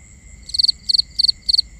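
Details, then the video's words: Cricket calling at night: sharp high chirps of three or four rapid pulses, evenly spaced about every third of a second, with a constant faint whine of other insects behind. "Cricket Conversations | Binaural Nighttime Ambience"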